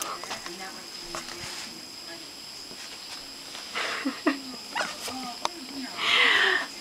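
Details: French Bulldog named Popeye freaking out on his first time wearing a shirt; after human talking, a loud high-pitched squealing whine slides downward near the end, with scattered scuffling sounds before it.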